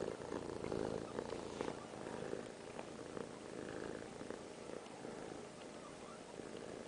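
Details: Held by her owner, Piper the cat purrs; a strong rumbling purr that is loudest at first and softens over the last seconds, pulsing with her breathing, ending in a small click.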